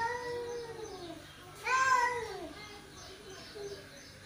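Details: Two male cats exchange a long falling moan, then a sudden louder, higher yowl that swoops down, followed by a softer short cry.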